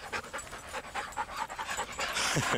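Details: Patterdale/Lakeland cross, a young male new to the group, on his first walk with three other dogs and still a little shy. Quick rhythmic panting, about six breaths a second, followed by a short burst of human speech.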